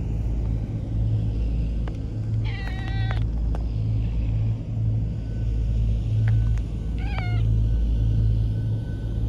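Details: Plump orange tabby stray cat, met again after a long time, quivering its tail and acting affectionate; two clear meows, the first drawn out and wavering, the second shorter about four seconds later, over a steady low engine rumble.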